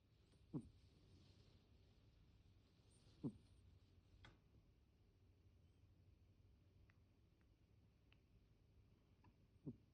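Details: Deni the pet cat snores unusually: three faint, short, low snorts spaced about three seconds apart, with a few tiny clicks in the quiet between.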